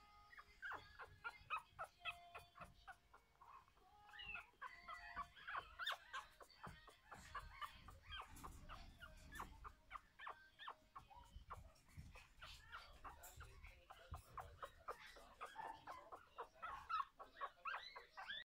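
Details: Biewer terrier puppies, a first litter of two, one female and one male, giving continuous high squeaky whines and yelps, rising and falling, densely repeated with little pause, with soft low rumbling in the background.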